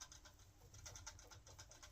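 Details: Indoor pet guinea pig named Phil chattering toward its owner: quick, dry broadband clicks in fast runs of about five to ten per second, soft and steady throughout, with a faint room hum underneath.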